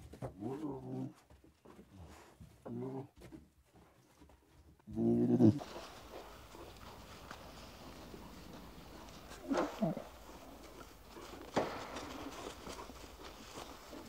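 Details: Young lions playing in the wild: a run of low, buzzy growls over the first five seconds, then quieter rustling with a couple of brief sharper sounds.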